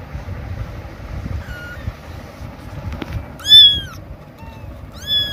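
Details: A kitten calls her mother with loud meows: a faint short meow first, then two strong, arching, harmonic-rich meows near the end, each about half a second, over a steady low rumbling background noise.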